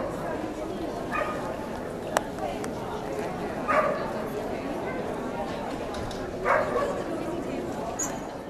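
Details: In Ventura in January 2009, Hardy, a year-old Samoyed puppy, lets out three spaced, brief barks roughly every two and a half seconds, with people talking in the background.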